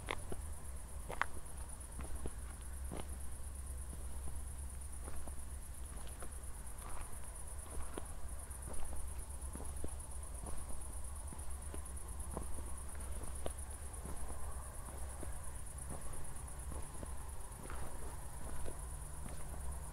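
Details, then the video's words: Crickets chirping at night in Zwettl, Austria, shortly after a thunderstorm, recorded in 24-bit stereo on a walk with city lights in the distance: a steady, high, finely pulsed trill runs throughout over a low rumble and scattered footsteps. "ASMR Cricket Sounds"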